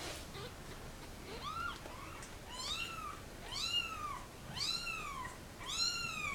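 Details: Kittens of a mother cat dumped in a box at a turnpike cry while being photographed, the mother rushing out to rescue them; about six arched, rising-then-falling meows, growing louder and more frequent toward the end, over quiet background.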